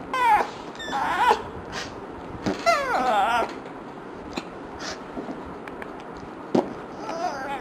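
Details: Pet dog indoors, frustrated by fart sounds, gives short wavering high whines and a longer warbling, yodel-like whine near the middle, among scattered clicks and rustles.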